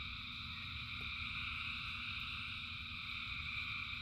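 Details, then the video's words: Rain-soaked frog chorus of thousands of callers, a steady shimmering drone of stacked trills with no pauses, backed by a low, even rumble. "Frogs in Rain 2 Hours of Frogs, Thousands of Frogs Singing"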